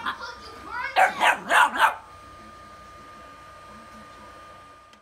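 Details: A frightened puppy reacting to bubbles gives four rapid, evenly spaced yapping barks in about one second, preceded by human speech, then quiet room noise.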